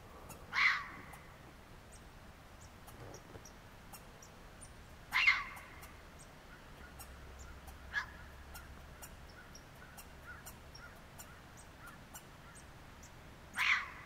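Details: Three young red foxes at sunrise give short, harsh, yelping barks, spaced several seconds apart.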